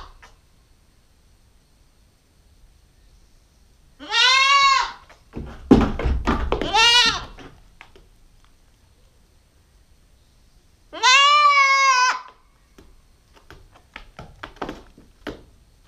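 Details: Nubian goat kid, a 9-week-old female, bleating in two loud, harmonic-rich calls about seven seconds apart, each an arched tone lasting around a second, with rustling and shuffling noises between them.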